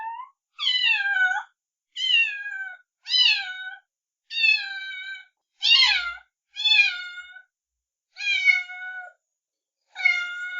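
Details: Kittens and cats meowing loudly: eight high, clear meows with bright overtones, each under a second and bending downward at the end, spaced about every one to one and a half seconds in a quiet room.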